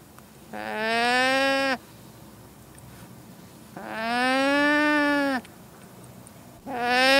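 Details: Llama calling: three drawn-out, harmonic, hum-like cries of about one to one and a half seconds each, the pitch bending slightly, separated by quiet pauses with faint background hiss.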